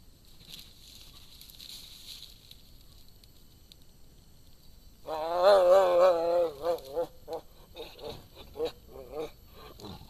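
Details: Sumatran tiger (Panthera tigris sumatrae), call.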